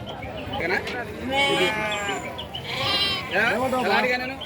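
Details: Several wavering, nasal bleats from sheep at the weekly Saturday sheep and goat market of Chillakallu village, Jaggayyapet mandal, NTR district, rising and falling in three bursts over a background of people bargaining in Telugu.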